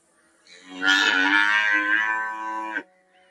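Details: Cow giving a single long moo lasting about two seconds, rich harmonic and steady, swelling quickly then cutting off abruptly, with a faint hum in the background.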